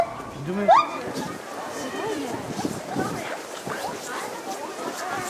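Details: A 10-year-old male lar (white-handed) gibbon, outdoors at a zoo in Hokkaido, Japan, on a fine January 3, calls loudly enough to echo round the zoo: one loud, rising hooting whoop, then crowd chatter takes over.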